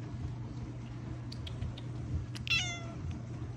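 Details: Domestic cats meowing and craving attention from their owner: one short harmonic meow that rises and then falls, about half a second long, over a steady low hum, with a few faint clicks before it.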